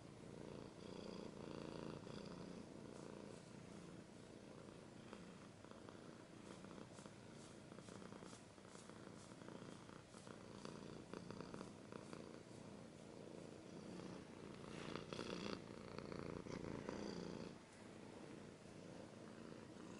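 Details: Cat purring close up in an ASMR-style recording, a steady low rumbling pulse running throughout, overlaid by frequent crisp scratching and rustling sounds, with a louder burst of scratching around the middle.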